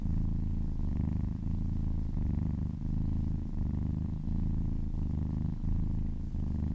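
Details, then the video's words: A contented cat purrs during a relaxing massage, a deep continuous rumble that swells and eases with each breath, roughly every second and a half, nothing else audible. "Purring kittens"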